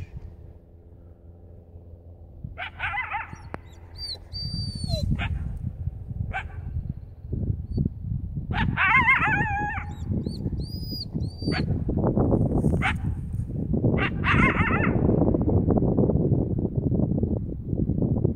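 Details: A coyote at Wildcat Canyon barks at the owner's dog, giving sharp, harmonic barks and yips in short bursts over steady low rumbling noise.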